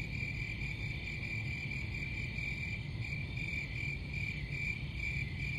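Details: Steady high-pitched cricket chirping, a fast pulsed trill with little change in pitch, set against a dull low-frequency rumble.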